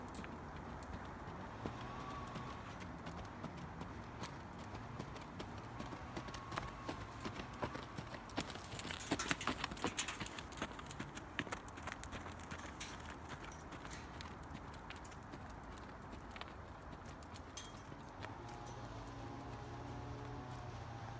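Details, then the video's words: Hooves of a young Missouri Fox Trotter filly under saddle on her fourth ride, her second with a bit: a quick, uneven patter of clip-clop beats about three per second, partly masked by steady outdoor noise and a low hum. "Fox Trotter filly"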